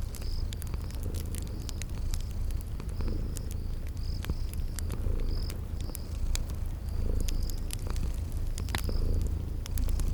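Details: Sleeping kittens purring by a crackling fireplace in a spring garden ambience: a steady low rumbling purr that swells with each breath about every two seconds. Sharp fire crackles and pops, plus a repeated high cricket-like chirp.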